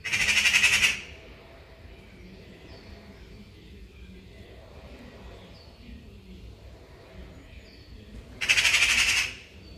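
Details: Caracal responding to birds with a rapid, rattling, buzzy burst lasting about a second. A long quiet gap with faint background sounds follows before an identical harsh burst repeats.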